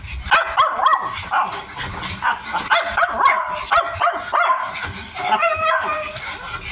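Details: A 55-day-old Miniature Dachshund puppy eating makes short, tonal whining yips in quick irregular bursts about every half second. Crisp clicking chewing noises run between them.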